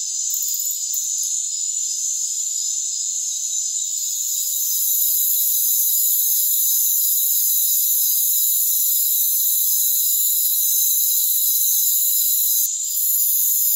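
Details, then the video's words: Rainforest crickets form a continuous shrill chorus of layered high buzzing trills that holds steady throughout, with a short soft gap near the end and nothing heard in the low range. "Rainforest Crickets"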